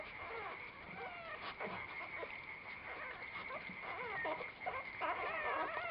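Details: Chili, a mother dog, with her little puppies: a dense run of high, thin whimpering whines, rising and falling in short overlapping arcs, several each second, over a steady background hum.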